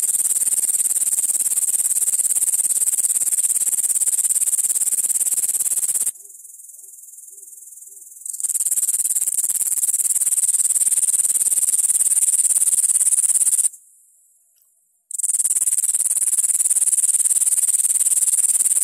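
A grasshopper's high, dry, continuous buzzing trill, broken by two brief silences.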